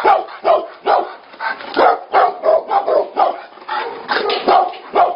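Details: Fighting Tibetan Mastiffs produce a quick, uneven volley of gruff barks, roughly two to three each second, each burst harsh and throaty.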